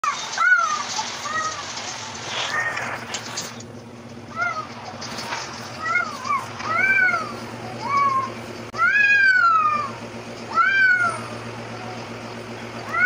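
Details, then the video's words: Arabian cats fighting: a run of harmonic, arching yowls and wails, some rising then falling, coming in bursts with brief pauses and louder overlapping cries toward the end, over a steady low background hum. "ARABIAN CAT FIGHTING RIDICULOUS CAT FIGHT"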